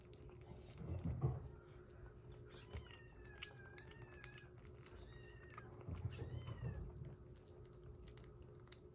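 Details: Rescued kittens on day 47 of a growth record, one eating weaning food while a baby cat drinks milk indoors; thin high mews, several short bending calls in two bursts a few seconds apart, over chewing and feeding noises and a steady low hum.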